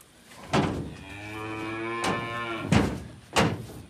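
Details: Free-ranged native yellow cattle from the mountains in rural China; a male thought to weigh just over 200 kg. One long, steady, low moo lasts about a second and a half, framed by sharp knocks and thumps, with faint background hum.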